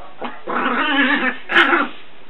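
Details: Eight-month-old Chihuahua puppy going crazy, running through the house; a short grumbling, whining growl followed by a sharper yelping burst, loud and close.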